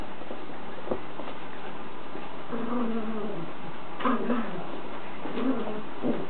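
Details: George the Chihuahua at play with Maude the puppy: a drawn-out, wavering whine midway, then short yelping barks near the end. Scuffling noises run underneath.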